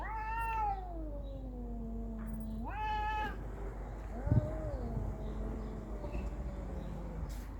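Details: Cat during a fight yowling: a long, drawn-out wail that slides slowly downward, then a short second cry, followed by a quieter, lower moaning yowl.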